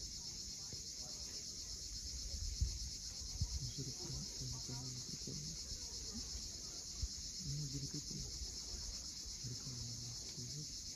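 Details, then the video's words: Cicadas buzzing at sunset over the steep Crimean shore of Cape Fiolent: an even, piercing, shimmering drone throughout, with rolling waves and scattered low tonal sounds in the background. "Cicadas at sunset."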